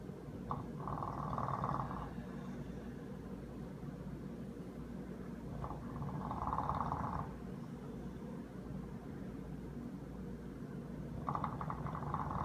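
An English bulldog snores in rough, rumbling breaths with a nasal buzz on each one.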